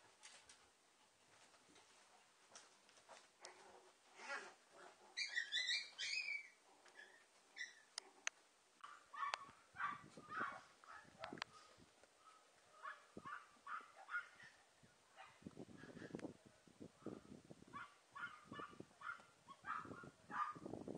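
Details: Papillon mother Emy and her puppies: thin whining squeaks in the first half, then a run of repeated short tonal whimpers and yelps over steady shuffling and rustling movement.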